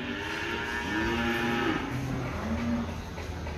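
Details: Cattle at the Ambarketawang cattle market in Gamping, Yogyakarta, Indonesia: a drawn-out low moo with a rising then level tone, a second shorter moo after, amid busy market murmur and background music.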